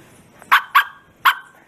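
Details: A Bearded Collie barks at full strength, giving three short, explosive barks. The first two come close together and the third follows after a brief pause, against a quiet indoor background.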